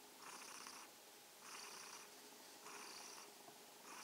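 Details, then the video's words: ['Kitten Mausi purrs in the evening while wishing everyone good night. Breathy buzzing bursts alternate with quieter pauses roughly every second and a quarter, the sound soft and close with a faint steady hum behind.'] "Abendgruß vom schnurrenden Kätzchen - Evening greeting from the purring kitten."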